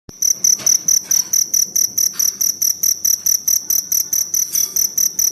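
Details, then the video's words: Forest cricket chirping in rapid, even pulses of a bright, high, ringing tone, about two pulses every second, steady throughout over a faint background hiss. "Suara Jangkrik Hutan"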